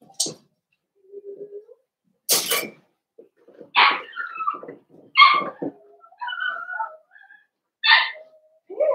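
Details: Litter of five blenheim Cavalier King Charles Spaniel puppies, born at New Year's, in an indoor pen. Several short, high, squeaky yelps and whines come in bursts every second or so, with soft rustling between them.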